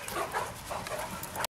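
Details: Great Danes at play in Ventspils, Latvia, on 6 September 2015: a quick run of short, whiny yips and whimpers, several in under two seconds, close by, with a person's voice just before.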